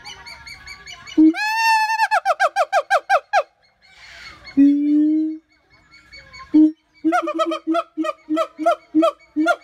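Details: A siamang (Symphalangus syndactylus), a black-furred gibbon, gives loud, ringing whoops and barks in quick repeated bursts, some rising in pitch.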